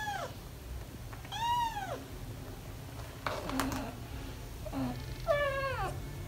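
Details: Indoors, four nearly five-week-old British Shorthair kittens play around their parents Ted and Chloe; three separate arching meows spaced a couple of seconds apart, with soft thumps and rustles between.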